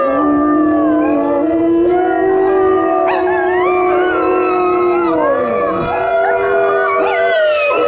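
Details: Several dogs howling together in a chorus: long, steady, drawn-out tones with layered overtones, joined midway by higher wavering and rising howls that overlap to the end, with a brief bright burst near the close.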